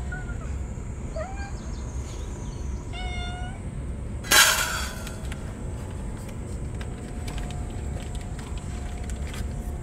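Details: Stray ear-tipped cats calling as they are fed on a very hot day, rubbing against each other joyfully. Soft, brief meows early on, followed by a sharp loud clatter, then only low background noise.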